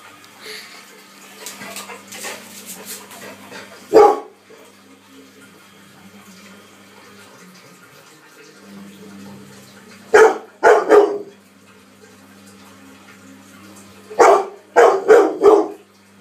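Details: Romeo, a 10-month-old pet Labrador Retriever, barks in scared, angry outbursts at a running washing machine indoors: a single sharp bark, then a pair, then a quick burst of four, with the machine's steady low hum underneath.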